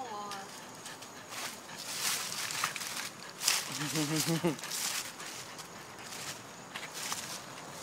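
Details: Stella, a French Bulldog, makes weird noises: a brief wavering, low harmonic grumble about halfway through, set among people talking, rustling and footstep-like knocks.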